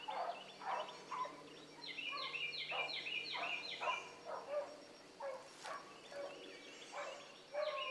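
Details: Morning rabbit chase by a pack of hound pups, Ringo, Mingo and Choco leading. A loose chorus of yelping and bawling bays comes in clustered bursts, with short gaps and one sharp cry near the end.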